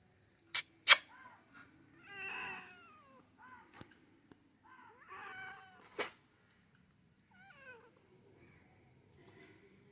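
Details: Domestic cat meowing: two drawn-out, wavering meows a few seconds apart, then softer, shorter mews trailing off, with several sharp clicks or knocks in between in a quiet setting.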